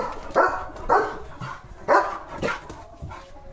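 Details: Leo, a German Shepherd village guard dog, barking at other dogs passing in front of his house; four sharp barks about half a second apart, then softer ones, with a person hushing him afterwards.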